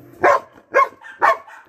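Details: Belgian Malinois Kratos, given a carabao horn on April 1, 2021, barks three times in quick succession, about half a second apart, while a person keeps telling him to sit.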